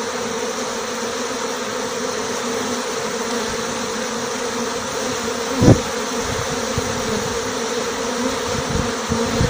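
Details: Honey bees swarming out of a small six-frame hive with their queen, who carries a white mark, recorded as it happened. A thick, constant buzzing hum is broken once by a sharp thump midway, followed by a few light knocks.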